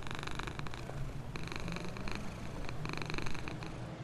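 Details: Homeless black cat, happy and well treated, purring beside its box near a store; an even low-pitched throbbing purr runs throughout, with repeated brief crackling bursts over it.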